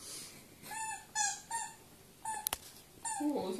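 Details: Indoors, the Welsh Springer Spaniel Nea gives short high whimpers in a handful of separate bursts, with a soft human voice faintly underneath and a sharp tap in the middle.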